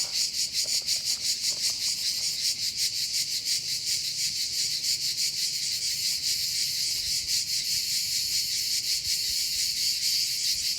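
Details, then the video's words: Cicadas singing in July in the south of France near the Côte d'Azur, each with its own rhythm; a dense, loud buzzing chorus pulsing rapidly and steadily throughout, with no other clear sounds. "Alors à cette période de l'année, c'est pas toujours évident parce que les cigales s'en donnent à cœur joie."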